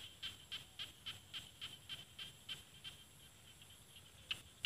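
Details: A small frog calling in rice fields of northeastern Thailand's Isan region, backed by mountains. Short, bright clicking notes are repeated about four times a second in a steady series, fairly soft, with a faint constant high hiss behind.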